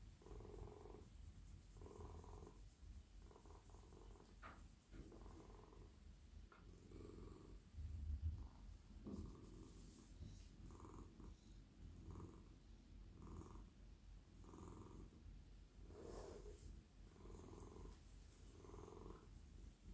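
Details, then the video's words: Friendly, very soft male domestic cat purring while melting in a lap at night as his head, neck and body are stroked; steady low rumbling purr pulsing in even breath cycles, with faint rustling from petting. "Cosy cat purring"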